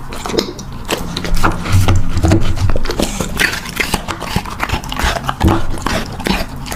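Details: Puppy chewing its food, quick uneven crunches and clicks about two per second, low muffled thumps between them.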